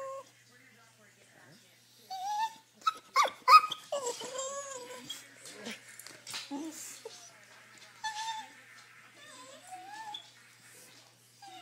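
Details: Noisy pet dog indoors, eager to go for a drive. Long, tonal whines slide up and down, broken by a few sharp yelps around the middle. A person speaks briefly.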